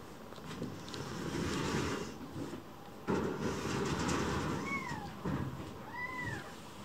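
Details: Rescued baby kitten indoors, sulking: two short, high mews near the end, each arching up and falling, heard over a steady low household rumble.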